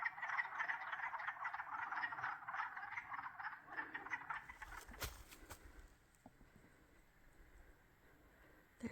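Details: Frogs calling in the background near a beaver pond along a forest hiking trail in Frontenac Provincial Park, Sydenham, Ontario, Canada; a dense, rapid pulsing chorus for about four seconds, then fading to faint calls, with a brief knock and rustle.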